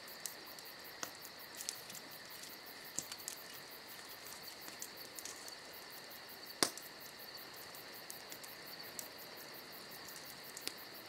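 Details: On a summer night, crickets produce a continuous high, even trill with a rapid pulsing edge, accompanied by frequent soft crackles and one sharp pop from a campfire.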